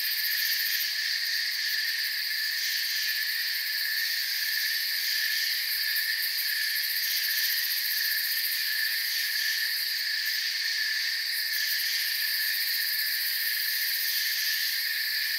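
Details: A continuous cricket chorus fills a forest soundscape with constant shrill ringing in stacked high bands. The topmost layer flickers slightly, while the overall loudness stays flat and no other sounds intrude.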